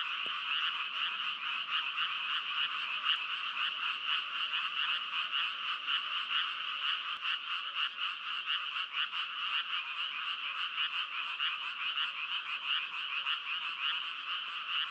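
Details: Steady chorus of frogs, a dense grating trill pulsing about twice per second, unchanging in loudness, with a brief faint tap at the start.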